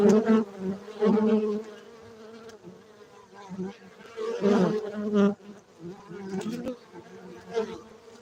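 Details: Farmed honey bees at a beekeeping center in Gayo, Bener Meriah, Aceh, Indonesia, humming in a low steady drone that swells loudly at intervals as bees pass close, then fades back to a softer background buzz.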